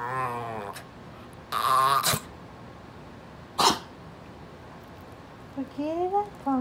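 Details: A very vocal female Brussels Griffon dog tells her owner to scoot over, uttering a short moaning grumble at the start, then a series of rising, whiny yowls near the end, with rustling bursts between them.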